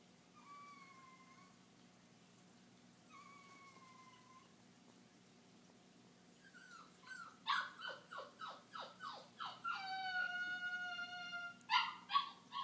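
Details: Dog crying when left alone in his crate: two long, level, thin whines early on, then after a pause a rapid run of sharp yelping cries and a longer high whine, each rising and falling.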